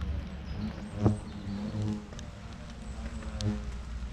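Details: Asian hornets at a large nest in Ciney during its destruction by a pest controller: a steady low droning buzz with stacked harmonic hum, a few knocks and clicks, and a man speaking French nearby.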